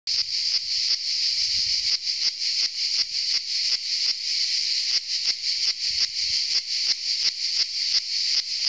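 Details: A cicada on the Saint-Eutrope hill in Orange, Vaucluse, France, on 15 July, delivers a loud, shrill, unbroken buzz high in pitch, throbbing in quick regular pulses about three per second, with no other voices competing.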